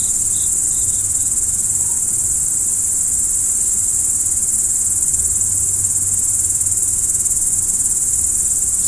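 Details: Night-time crickets form a continuous, piercing high-pitched trill that holds steady without pause, with an occasional faint short chirp near the start.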